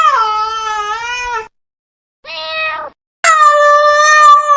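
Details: Cats from a compilation of cute and funny kittens: three loud, drawn-out meows, the first long and wavering, a shorter one after a pause, then a rising, strained final meow.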